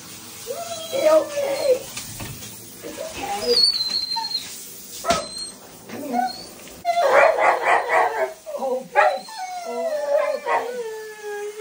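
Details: Several Siberian Huskies being given a bath; harmonic whining and yipping vocalisations, a dense burst around the middle, mixed with a person talking and splashing sounds.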